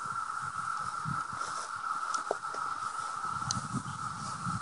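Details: Dense 17-year cicada emergence in trees beside a house near Madison; a constant, even whine drones on without pause, over soft handling and rustling noises.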